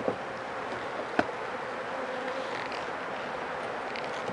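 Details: Honey bees buzzing in an opened hive with only a few drops of honey, inspected after four rainy days for signs of sickness; a steady, smooth hum with a single sharp knock early on.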